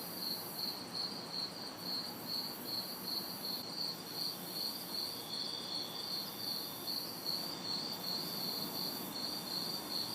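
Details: Crickets and cicadas in a city backyard on a hot, humid summer night: a steady, high, pulsed cricket chirping about two or three beats a second under a hissing cicada drone that briefly drops out, with faint distant traffic noise.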